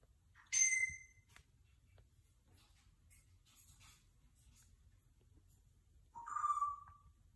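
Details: Cat mother carrying her kitten: a loud, high meow at the outset, then a long pause with faint shuffling, and a second, lower, drawn-out meow near the end, all over a low hum.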